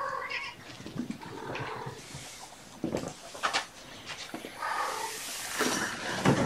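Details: Indoor afternoon play session with mother cat Gamora and her five Infinity Kittens, born April 14: several soft, thin meows spaced a few seconds apart over a hissy background of rustling and handling noises.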